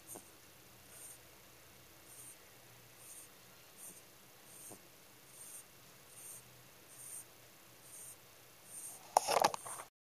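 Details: Pet rabbit in deep sleep, snoring softly in a quiet room: faint breathy puffs repeat roughly every half second to second, steady and regular, with a brief rustling clatter near the end.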